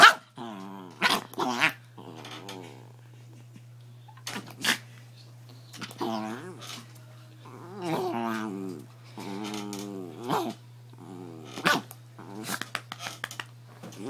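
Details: A domestic dog growls while its owner plays with and teases it. Drawn-out, warbling growls alternate with brief sharp yips and clicks, returning in bursts every one to two seconds, with human voice mixed in.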